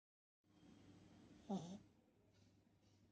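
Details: Sleeping Beagle puppy snoring: one raspy, snorting breath swells midway and fades, with softer breathing around it over a steady low hum.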